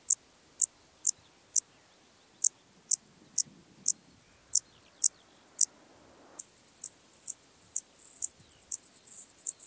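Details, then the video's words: Intermediate Cross-backed Grasshopper at Zalahalap, Hungary, 18 July 2022: regular high, brief chirps about twice per second, later overlapped by a denser, rapid high-pitched buzzing chorus from other insects. "Dociostaurus brevicollis -- Östlicher Kreuzgrashüpfer -- Intermediate Cross-backed Grasshopper"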